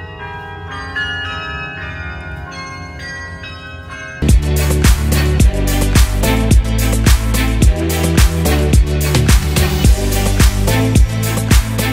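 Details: Soft bell-like tones for four seconds, then loud pop music with a strong regular beat takes over; no animal is heard.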